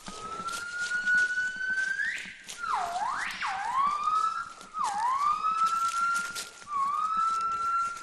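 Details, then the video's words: Western black crested gibbons, the fourth group, call from the forest canopy overhead on a mountain ridge while foraging about 20 m away, the calls drawing closer: long, clear whistled notes swooping sharply up and falling back. "头顶上的树林中就传来了长臂猿的鸣叫"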